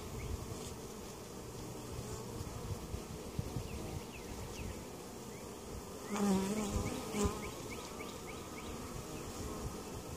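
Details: Honey bees buzzing at a weak colony that survived winter in Mt. Perry, Ohio, during a mite treatment inspection; a dense, steady low hum with brief louder swells around six and seven seconds and faint repeated high chirps above.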